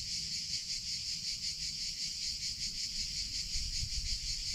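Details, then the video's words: Cicada song heard in summer: a high buzzing drone swelling and fading in quick regular waves, about two per second, over low background rumble. "CICADA SOUNDS - Sound Effect of Cicadas in Summer Sounds of Cicada (Chicharra, Campanero)"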